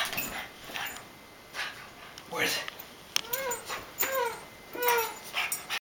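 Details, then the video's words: Boston Terrier named Jekyll, worked up over a toy chicken during play: three high, arched whining yips, each rising then falling, in the second half, with human voices talking over the start. "Boston Terrier goes crazy over toy chicken"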